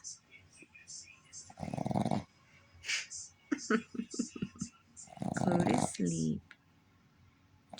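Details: A Boston terrier snores with eyes wide open. Two coarse, buzzing snores come several seconds apart, while a woman talks softly to the dog in between.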